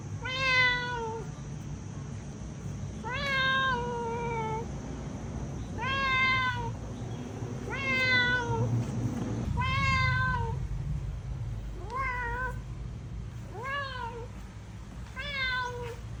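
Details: Cat calling, used for searching for a missing cat: a run of eight drawn-out meows roughly every two seconds, each rising slightly then falling away, over a constant low background hum.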